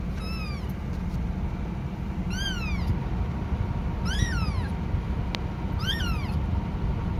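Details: Young kitten calling out to its mother with four high, harmonic-rich mews, each climbing then sliding down, roughly every one and a half to two seconds, a click near the end, steady low hum behind.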